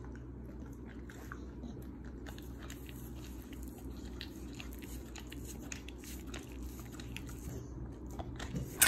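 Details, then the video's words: Pit Bulls eating royal honey baby bees wrapped in banana leaf and barbecued, their first time trying this food from a local farmer; steady crunching and chewing indoors, with irregular sharp bites and a low constant hum. "Pit Bulls 1st time eat 👑🐝Royal Honey Baby Bees (Banana leaf wrapped B.B.Q)[ASMR]MUKBANG"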